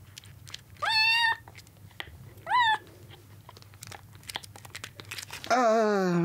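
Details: Soaked road-rescued kittens, two days into their care, jostle for milk indoors; two sharp rising meows are followed by chewing and clicking, then a loud, wavering, drawn-out cry at the end.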